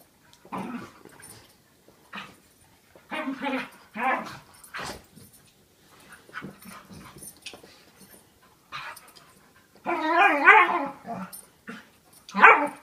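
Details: Two dogs play fighting, a year-old of about 40 lbs and a 5-year-old of about 95 lbs; scattered low growls and whines build to louder, wavering groaning growls near the end, with a person speaking briefly.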